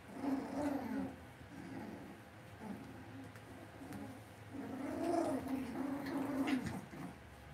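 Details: Young Cavalier King Charles Spaniel puppies raised inside a home pen make low, droning whines and grunts in two longer stretches, wavering in pitch, with short pauses between and a steady indoor hum beneath.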